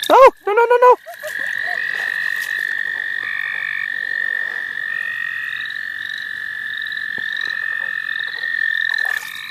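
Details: A loud, steady, unbroken frog trill from the St. Olaf College Natural Lands during frog catching, held for most of the clip, opened by a few sliding squeaky sounds and faint upslurred calls behind.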